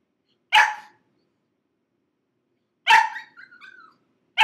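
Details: Crated six-month-old pug puppy Gizmo screaming: three abrupt loud barks about two seconds apart, the second followed by a short high whine.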